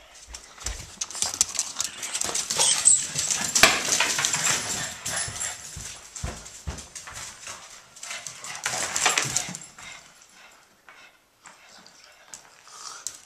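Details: Two Boston Terriers play-fight and chase each other around a house, with rapid snuffling, hissy scuffling noises and an occasional soft whimper.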